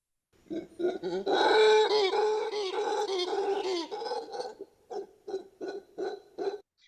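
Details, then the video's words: Mantled howler monkey played back during a conservation talk: loud, deep roaring with rough harmonic bands for several seconds, then a run of short, repeated barking grunts about every half second, with no other sounds. "Pues eso es el mono aullador de manto, y van a notar que es notablemente diferente al del mono aullador negro."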